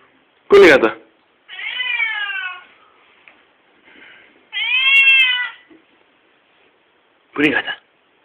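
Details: Indoors, an angry male Siamese pet cat utters two loud, raspy meows about a second long, each arching and then falling in pitch, between short bursts of a man's voice and quiet room noise.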